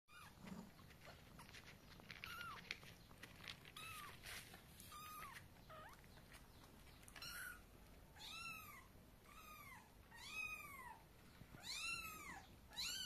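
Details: Mother cat carrying her kittens to bed in her mouth; a series of high, arching meows, sparse at first, then repeated roughly once a second in the later half, over soft rustling and faint background noise.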